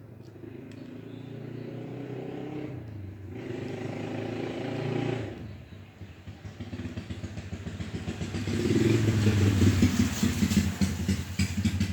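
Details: Loud engine and traffic noise, a motorcycle revving and rumbling with clattering, and no animal calls heard.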